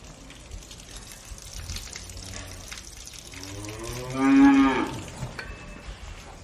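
A cow gives one drawn-out, rich moo lasting about a second and a half amid quiet barn noise.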